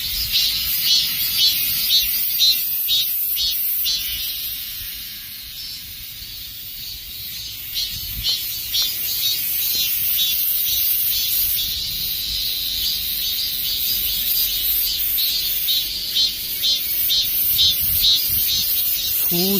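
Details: Dozens of cicadas sitting in a tree fill the air with a shrill, pulsing buzz as summer ends, described as their last song before the season passes.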